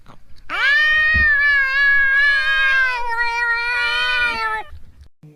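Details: Cat or kitten meowing to attract other cats: one long, sustained meow lasting about four seconds, rising sharply at the start, holding steady, then fading, with a faint knock early on.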